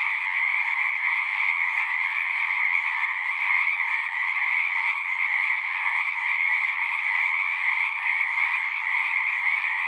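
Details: Frogs singing in a dense, unbroken chorus, a steady shimmering trill layered in two bright bands, one higher and one lower, holding level throughout with no pauses and no other sounds.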